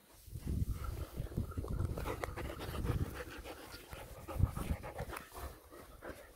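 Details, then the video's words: Black German Shepherds relaxing in the sun, one lying in a wheelbarrow; quick, breathy panting pulses repeat steadily throughout, low and noisy, with soft rustling in the background. "Black German Shepherds relaxing in the sun."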